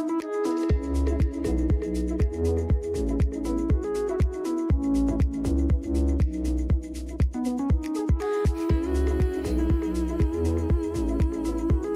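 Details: Upbeat electronic dance music with a steady thumping beat and bright synth chords, no animal heard.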